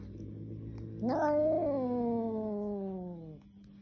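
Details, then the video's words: Angry kitten giving one long, drawn-out yowl that starts abruptly, swells, then slowly sinks in pitch over about two seconds before cutting off; quiet room otherwise. "Angry kitten"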